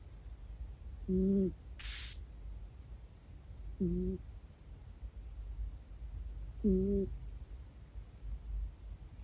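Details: Sleeping four-year-old male Minuet cat snoring indoors: a high, squeaky peep with each breath, repeated about every three seconds, with faint breathy hiss and low room hum between.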